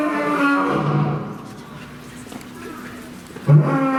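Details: Deep, droning roar from Chachamaru, a male lion living at Fukuoka City Zoo, Japan, recorded around September 2021; a long low moan fades out, then a fresh loud grunt bursts in near the end, over a murmur of people.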